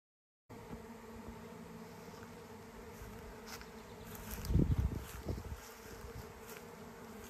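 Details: Huge honey bee swarm flying through the air on its way to a new home, queen leaving the hive with part of the colony; dense continuous low hum with individual bees buzzing past close by, louder near the middle.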